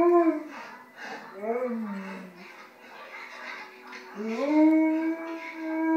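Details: A 2-year-old male Alaskan Malamute howls at a grizzly bear movie on TV, in wavering, arching tones that end on a long, rising, sustained note.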